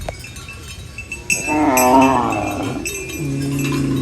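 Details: A cow eating banana leaves lets out a single rising-and-falling moo lasting over a second, trailing into a lower, softer groan, with faint clicks and rustling behind.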